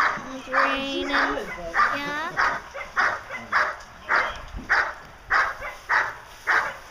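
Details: Diesel vom Darland Haus, a young male German Shepherd Dog aged 16 months, barks during Schutzhund protection work. Evenly spaced harsh barks come roughly every 0.6 seconds, and speech overlaps the opening moments.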